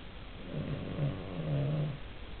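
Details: Cavalier King Charles Spaniel asleep, giving one long low snore that swells and rattles for about a second and a half against a quiet room.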